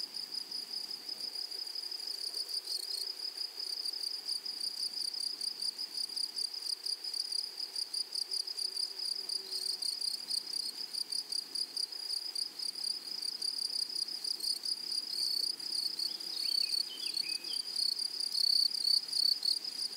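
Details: High, fast-pulsing grasshopper chorus from a flowery prairie meadow, steady and shrill, with a few brief chirpy notes breaking in near the end.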